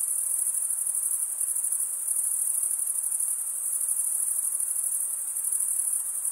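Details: Continuous cricket chirping from males rubbing their wings together, a thin, high, rapidly pulsing buzz that barely varies in volume from start to end; no other animals or noise.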